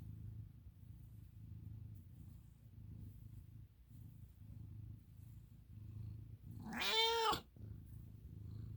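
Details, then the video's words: American Ringtail cat resting indoors, a steady low rumbling purr or snore pulsing through the whole stretch, then one loud drawn-out meow rising and falling around the seven-second mark before the purring resumes. "Snoring To Purring To Meowing!"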